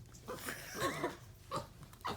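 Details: Playful, happy pet capuchin monkey roughhousing with its owner indoors, giving love bites: a cluster of soft squeaky chirps mid-way, then two more brief high squeaks near the end over breathy rustling.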